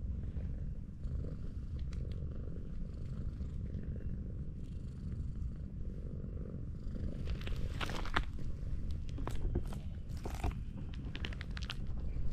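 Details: Affectionate tortoiseshell cat lying on a slope purrs deeply while petted, a constant low throb; in the second half repeated crisp rustling bursts from fur handling overlay the purr.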